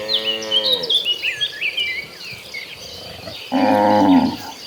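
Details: Cows from a large tame herd on the way to green pasture: a fading moo at the start, a stretch of bird chirping, then a loud, nasal bellow near the end.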